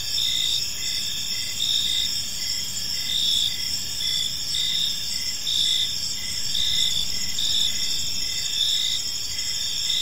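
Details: Crickets chirping in a park in the evening, a steady high-pitched chorus with pulsed chirps repeating in short bursts over a continuous insect drone and low background rumble.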